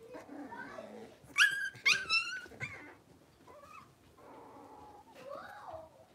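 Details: Blenheim Cavalier King Charles Spaniel puppies from a New Year's litter of five in their new bigger pen; two piercing, harmonic-rich yelps burst out over soft murmuring voices indoors, then quieter whines and a rising whimper.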